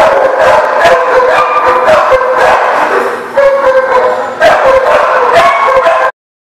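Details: Dogs barking on 20 August 2018; rapid overlapping barks mixed with drawn-out howling tones and short yips, followed by a brief dip and renewed loud barking before an abrupt end.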